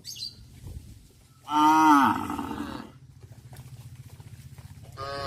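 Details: A single strong moo from cattle returning to the barn in the afternoon on a village farm, rising then falling and lasting about a second, followed by a steady low throbbing hum and the start of another moo.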